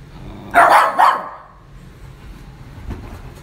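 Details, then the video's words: Playing Schnauzers give two sharp, bright barks in quick succession about half a second apart, then fall quiet, leaving only faint low background noise and a soft distant knock. "Schnauzers playing barking"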